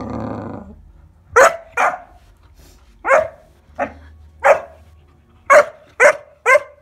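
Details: Fourteen-week-old Kuvasz pup Bowie at play with a bathroom scale, giving short, sharp puppy barks at uneven intervals, eight in about five seconds, over a faint low hum and a brief human voice at the start.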